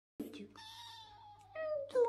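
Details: Pet cat meowing indoors: a long drawn-out meow with a steady tone that slides slightly downward, followed by two shorter, louder meows; a low steady hum underneath.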